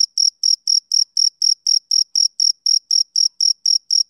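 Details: Regular rhythm of shrill male cricket chirps, roughly four short bursts each second, every burst a clean high trill with a weaker higher echo, ending abruptly.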